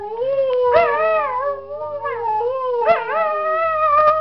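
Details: Dog giving continuous howls with a warbling, undulating pitch that swoops up and down in quick waves across about four seconds.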